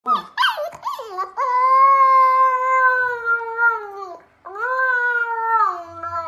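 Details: Siberian Husky puppy howling indoors: a few quick yips, then a long, steady, harmonic-rich howl of over two seconds that dips at the end, a short break, and another sustained howl.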